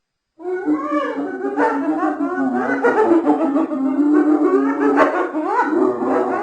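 A hyena giggles in a rapid, high, wavering series of yelping notes that rise and fall in pitch.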